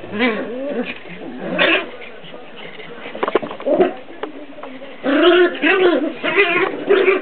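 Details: Two Jack Russell Terrier puppies play fighting: rough growls and yips come in bursts, a pause in the middle, then a louder run of snarling near the end.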